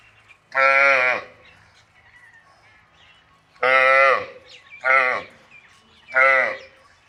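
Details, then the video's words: Buffalo calf at a dairy farm, calling four times with short, bleating moans. Each is roughly half a second long, and they are spaced one to three seconds apart over near silence. "Buffalo calf voice"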